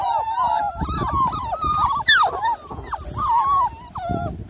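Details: Miniature Labradoodle, evening of 3rd July, whining in a string of plaintive, nasal cries that rise and dip, with one sharper yelping squeal midway, over soft shuffling noise.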